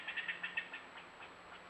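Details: Angry squirrel in a tree close to a bobcat, recorded by a newly placed camera: a quick run of five harsh, clicking notes, then softer trailing chips fading into hiss.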